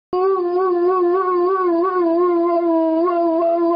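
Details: Airedale Terrier singing indoors: a sustained, steady howl with a rich harmonic tone and a gentle wavering pitch, held unbroken for nearly four seconds.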